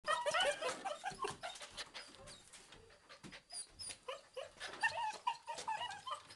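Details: Bobtail puppy on the rampage indoors, giving rapid high whimpers and squeaky yips, dense and overlapping, with short pauses between bursts.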